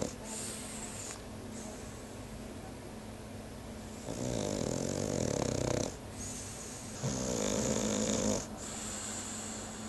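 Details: Sleeping French bulldog snores in slow raspy rounds, a coarse buzzing inhale of about two seconds followed by a softer hissing exhale, repeating roughly every four seconds over a low steady room hum.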